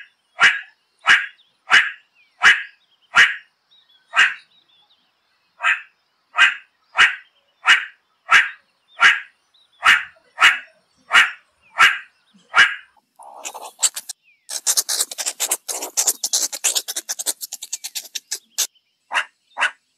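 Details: Meerkat giving a steady series of short, sharp, bark-like calls roughly every 0.7 seconds, interrupted by a burst of rapid scratchy rattling noise, then two more barks at the end.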